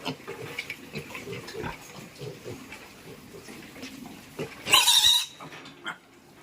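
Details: Piglets being moved to fattening pens on a Thai farm: soft grunting for several seconds, then one loud, shrill squeal lasting about half a second, followed by quieter grunts and farm clatter.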